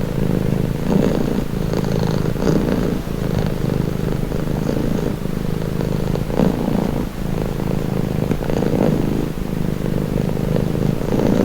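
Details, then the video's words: Calming purr of a pet cat: a low, steady, vibrating rumble that swells and eases with rhythmic breathing about once a second, unbroken from start to finish. "Purring cat"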